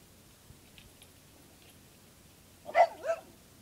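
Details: A dog barking at a cicada shell: after near-silence with a few faint taps, two short, sharp barks close together at the very end, the second slightly softer.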